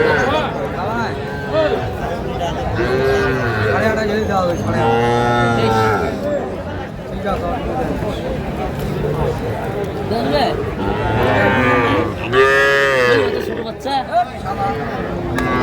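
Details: Small bull and heifer calves being sold at a livestock market in Cumilla, Bangladesh, in January 2025; repeated long moos overlap one another amid constant crowd noise and people haggling over prices.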